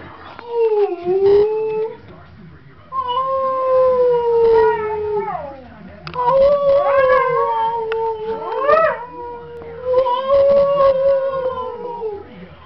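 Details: Dog howling in a series of four drawn-out, wavering tones, each lasting two to three seconds with short pauses between, the pitch sliding gently up and down with rich overtones.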